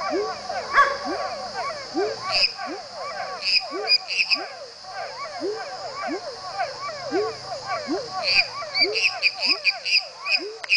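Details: Calling pepper frog (Leptodactylus labyrinthicus) giving brief rising low whoops at a steady pace of roughly one per second, while many other frogs chatter with higher clicks and chirps above a constant shrill background drone.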